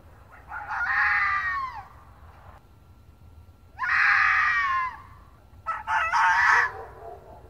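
Red fox giving three harsh, hoarse screams, each about a second long and drooping in pitch at the end, spaced roughly two seconds apart over a faint background hiss.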